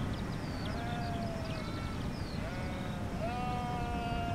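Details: Sheep calling back and forth, a cluster of long quavering bleats, the clearest three rising then holding level, with fainter higher bleats layered behind and a constant low background hum.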